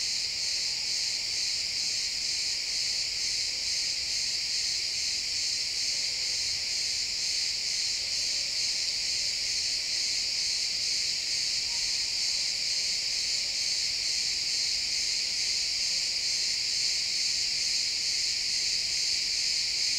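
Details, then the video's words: Crickets in a pine forest at sunset, a dense continuous chorus of high trilling, shrill and unbroken, with several layered bands; recorded in XY stereo in real time. "Cricket sounds in the pine forest"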